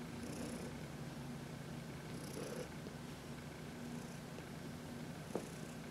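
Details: Contented purring from Heidi, an elderly cat adopted from the Humane Society of New York City, during a sunny massage in March 2021; continuous low rumble with faint periodic breathy hisses and one brief click near the end.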